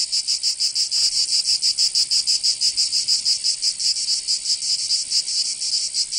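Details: Summer cicada chorus from Provence in the south of France, a shrill continuous buzz broken into quick, slightly uneven pulses, high and bright throughout, nothing else audible.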